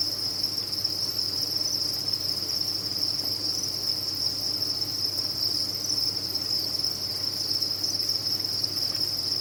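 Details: A steady wall of cricket chirping from a cricket farm, high, ringing and continuous, with the many callers merged into one unvarying trill and a faint hum below.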